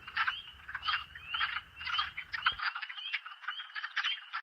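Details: Male wood frog calling from the water of a forest wetland in spring breeding season, on a briefly sunny day, some distance away; rapid, duck-like clucking croaks in quick runs, about two per second, with low background rumble early on.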